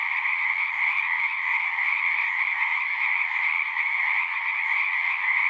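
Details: Chorus of frogs at a horse-pasture pond, recorded with a Zoom unit: a steady, high, rattling mass of calls layered over a lower trilling band, loud and uninterrupted, nothing else audible.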